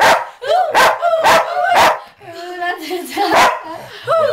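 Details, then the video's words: Very loud sheepdog singing at 2 a.m. to "Who Let the Dogs Out": sharp punchy bursts open, then a drawn-out, wobbling howl bends up and down under the music. "Sheepdog sings to "who let the dogs out""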